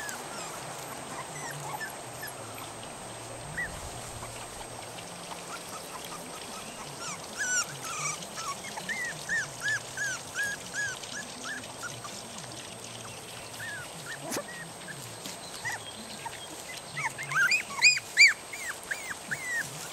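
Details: Several 3 1/2 week old puppies, taken from their familiar home, put out in a yard and woken from deep sleep, wanting their mother to feed them; rapid series of high arched whines, faint early then clustering and louder near the end.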